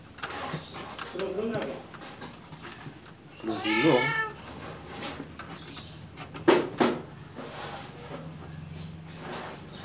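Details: Home-bred Persian kittens; one drawn-out wavering meow rises and falls midway, amid quiet talking, a sharp knock and low room hum.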